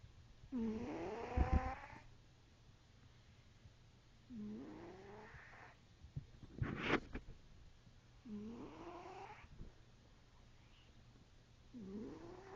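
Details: Cat snoring: a tonal, upward-curving wheezy breath sound repeated roughly every four seconds, with one sharp broadband noise burst midway through.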